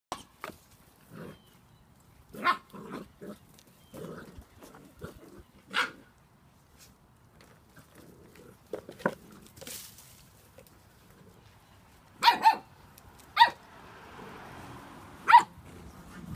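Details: Seven-week-old Spanish Water Dog puppies giving short, sharp yips and barks in scattered bursts, a few close together, then louder squeaky cries near the end over a quiet background.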